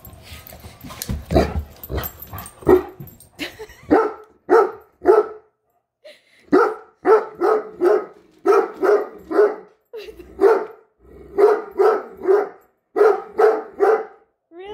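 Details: Great Dane barking at a measuring tape it dislikes, indoors: deep, rough barks in quick bursts of three or four, separated by short silences, sometimes with a short pause between runs; a few noisy thumps at the start.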